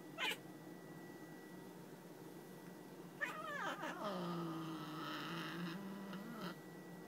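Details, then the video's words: A grumpy female domestic cat that won't tolerate being looked at or touched, with a male cat nearby: a sharp spit, then a long, low, wavering growl-yowl rising and falling for about three seconds, ending in a short moan, indoors. "Just A Very Mean Cat"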